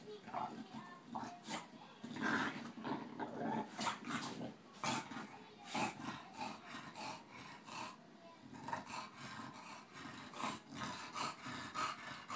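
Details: Playful tussle between Boston terrier Tinker Bell and bulldog Lala, with gruff growls, snorting breaths and frequent sharp thumps and clicks; a voice is briefly heard.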